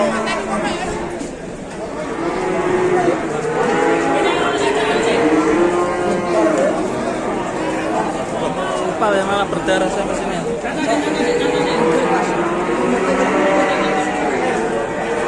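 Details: Newly arrived cattle at an Indonesian farm pen, one with a torn nose, causing a commotion: low, drawn-out harmonic moos rise and fall in overlapping calls, with people chattering and music in the background.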